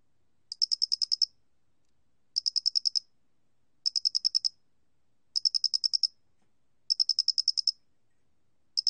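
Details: Square-headed cricket recorded in 2020 for a national biological resources archive: short bursts of about eight rapid, high, bright chirping pulses, repeated roughly every one and a half seconds against a silent background.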